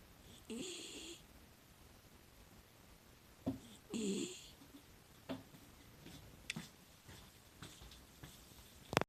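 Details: Bihaku, a six-year-old female rescue miniature dachshund, filmed secretly while sound asleep indoors: two throaty snoring breaths with a hissy edge, then softer snuffles and a few small clicks in a quiet room.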